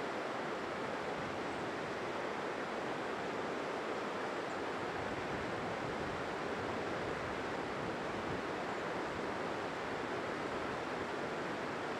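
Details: Steady rushing water or surf fills the whole stretch, with no animal calls standing out.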